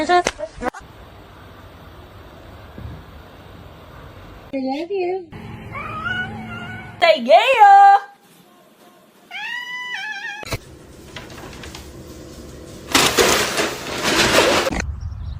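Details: Cat calls over quiet room tone: a cluster of bent, harmonic meows, a brief louder cry, then a few short, high mews, with a burst of hiss-like noise and talking near the end.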